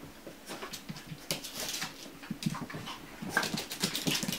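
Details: Chihuahua puppies at a kennel, soft whimpers and small squeaks scattered through a short stretch, with rustling and shuffling noises in a small indoor room.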